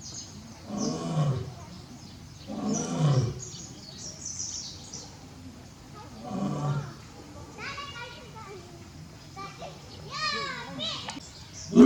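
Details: Lion Barry at Tobe Zoo, 5 October 2021, calling out for his missing partner Daisy: low, heavy roars at about 1, 3 and 6.5 seconds, then children's high-pitched chatter and shouts fill the closing seconds.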